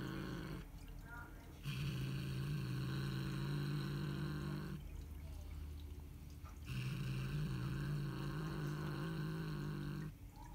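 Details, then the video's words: A female Siamese cat gives long, low, rumbling growls that swell and fade in steady waves after catching a bird. "Siamese Cat growling"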